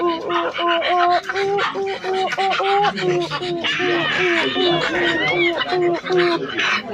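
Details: Rapid, fairly even series of short hoots from a silvery gibbon, about two to three per second, with higher whistled sweeps rising over the chorus partway through.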